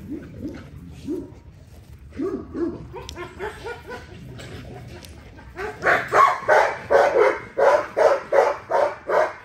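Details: XL American Bully during daily exercise: a few high, rising whines, then a burst of about eight loud, sharp barks at roughly three per second.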